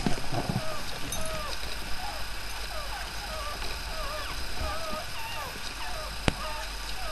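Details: Miley's overnight litter of five newborn puppies keeps up a run of wavering, up-and-down squeaky whimpers, several each second, over low hum, with a faint thump at the start and a sharp click near the end.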